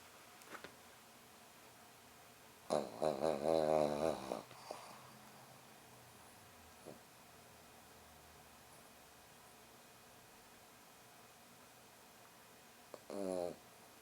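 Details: French bulldog rescue puppy snoring while napping indoors: two rough, throaty bursts of wavering snorts, one lasting nearly two seconds near the start and a shorter one near the end, with quiet room stillness between.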